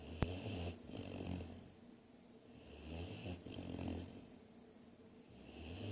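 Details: Snoring Great Dane puppy, low rumbling breaths rising and fading in a slow steady cycle, two long snores with soft wheezy hiss between, one brief click at the start.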